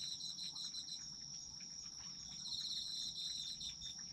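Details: Autumn insects calling for sleep relaxation: a dense, steady high-pitched trill chorus with a continuous ringing tone and pulsing chirps layered above, faint low rumble beneath.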